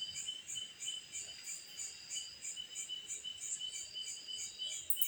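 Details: Cicada heard at night, giving a shrill, unbroken ringing buzz with several high layers that swell and fade in regular beats about three each second, ending with a short sharp click.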